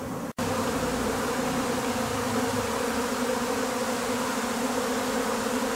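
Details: Swarming Japanese honey bees, the second swarm from a colony that wintered at a house, being taken into a hive. Continuous loud buzzing hum with two steady pitch bands, briefly cut by a dropout near the start.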